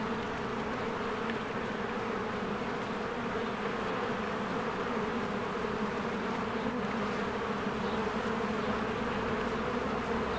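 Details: Busy honeybee colony in spring, swarms of bees coming and going at the hive entrance; a constant, rich buzzing drone of many insects holds steady throughout with no other clear sounds.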